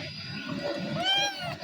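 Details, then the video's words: Kitten that has befriended a person, being fed broken-up food; one short, arched meow near the end over a steady background hum. "একদিনের ভালোবাসায় চিনে ফেলল বিড়াল ছানা"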